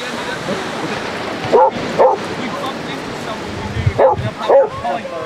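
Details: On Exmouth beach in Devon, where 30 Basset Hounds romp in the sun, two pairs of short barks stand out against steady surf and background noise, roughly two seconds apart.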